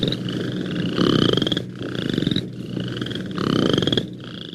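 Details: A Western chorus frog, a tiny declining Ontario species, gives its mechanical call: rapid, rising, pulsed trills like a thumb run along a comb's teeth.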